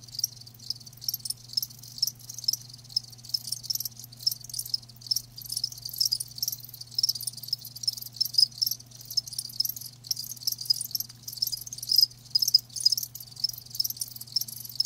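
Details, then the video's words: Live crickets chirping, likely several insects together: dense high-pitched trilled chirps repeating rapidly and overlapping throughout, with a steady low electrical hum underneath and no other animals. "Live Crickets 60min "Natural Sound""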